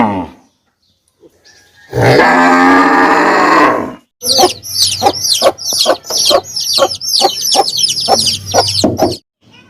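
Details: Calf giving one loud, rough moo lasting about two seconds, followed by a fast series of sharp, high, chirping calls repeated several times per second until the end.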